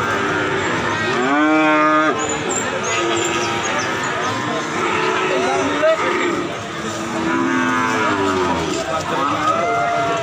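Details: Cattle lowing: one long, loud harmonic moo early on, then several shorter, wavering moos spread through the rest, over a steady outdoor background of distant noise.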